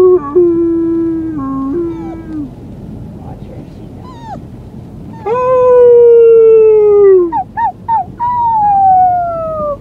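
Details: A young female white Siberian Husky puppy, on the day she was brought home, howls in long, wavering tones that slide gently downward.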